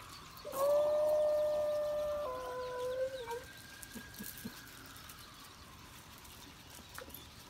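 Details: Astro, a West Highland White Terrier, howling at a passing fire truck while drinking water: one long, steady mid-pitched howl lasting about two and a half seconds, dropping slightly at the end, over a fainter, higher rising wail, then quiet.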